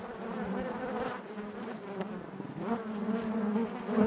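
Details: Honey bees buzzing inside their hive: a dense, continuous hum with a steady low drone and wavering overtones, swelling and easing slightly, with a few faint clicks and knocks from movement among the combs.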